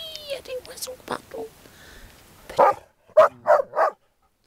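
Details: Groenendaels in resource-guarding play: a woman talks French in a high, coaxing voice, then four sharp barks end the passage.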